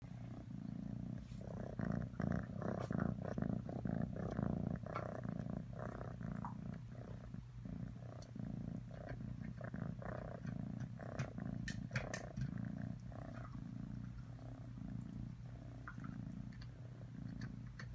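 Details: Domestic cat purring steadily, a low rumbling, rapidly pulsed drone that carries on without a break and rises and falls slightly in strength.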